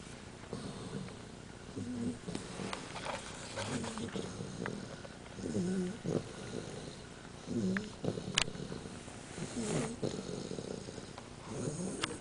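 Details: Sleeping young female dog, a puppy, snoring: soft rasping snores repeat roughly every two seconds in a quiet room, with faint background clicks.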